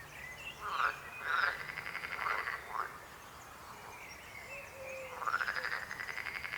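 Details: Frogs croak in a chorus. A burst of quick overlapping croaks is followed by a near pause, then a long buzzing, pulsed croak builds and runs to the end.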